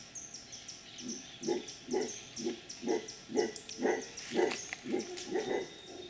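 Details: Wild howler monkeys in their natural habitat near Potrero, a rural town in Guanacaste Province on Costa Rica's Pacific coast, 2012: a rhythmic run of hoarse, throaty grunts, roughly two per second, swelling and fading in loudness.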